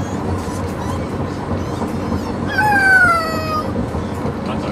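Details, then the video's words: A Corgi puppy on its first car ride home gives one short, wavering, yodel-like howl that slides downward over a steady low rumble; it settled down after a few minutes. "Corgi puppy Neptune Howling - he yodels"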